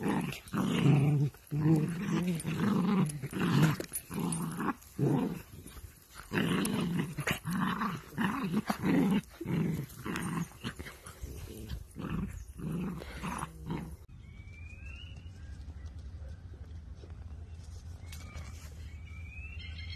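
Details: Miniature dachshund at play indoors, growling in rough low bursts repeated many times over about fourteen seconds, then falling quiet with only a faint room hum and a few high squeaky chirps.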